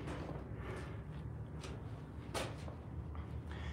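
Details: Low rumbling room noise with soft thuds and brief door-like knocks, faint speech, no animal voice.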